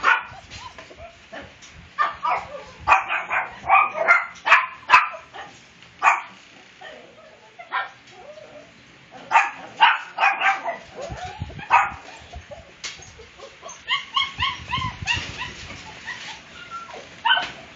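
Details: Puppies at a kennel breeding Siberian Huskies, German Shepherds and Shih Tzus, at milk time on February 24, 2014, giving many short high yips and squeaks in irregular bursts, several overlapping, with faint background voices.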